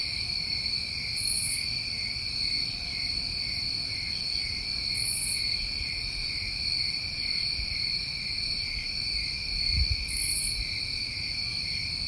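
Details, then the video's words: Night-time crickets in New England summer produce a seamless shrill trill across several high bands, broken only by three short hissing bursts spaced a few seconds apart and a faint low thud near the end. "Tinnitus Masking With Crickets"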